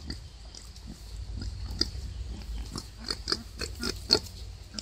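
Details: Wild boar giving birth to five piglets; soft, brief grunting pulses repeated at an uneven pace, with a sharper squeak near the end over faint low background noise.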